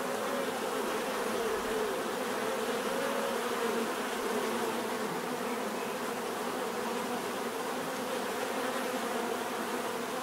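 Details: Continuous buzzing of many bees, an even droning hum with a brief higher whine sliding through early on, steady loudness throughout.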